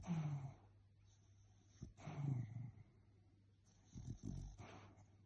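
A Cocker Spaniel gives low, muffled woofs and grumbles in its sleep, repeated about every two seconds.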